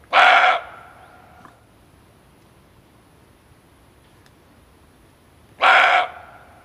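A male barking deer gives single loud, harsh barks, about five seconds apart.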